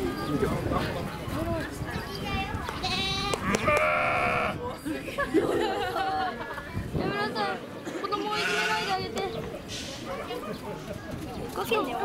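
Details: Baby sheep bleating at Nasu Animal Kingdom in Tochigi, Japan, 29 April 2018: a few wavering, nasal bleats, the longest lasting over a second, partly overlapped by people talking nearby.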